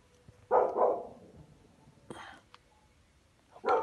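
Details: American Bully puppies barking: a pair of quick, rough barks, then single short barks about every one and a half seconds, over a quiet background.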